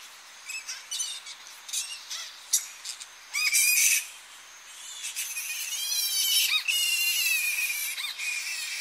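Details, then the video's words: Close-up shrill calls from a Tonga flying fox colony returning to coastal roosting trees at early morning; sharp squeaks and rapid harmonic screeches come in bursts, building to a loud squabbling chorus midway. "Tonga Flying Fox / Colony. Early Morning As Bats Return To Roosting Trees On Coast. CU Shrill Calls"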